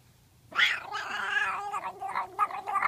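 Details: A domestic cat being scratched, which it loves, gives a drawn-out, wavering harmonic meow that starts sharply and breaks into a string of short rising chirps toward the end, indoors.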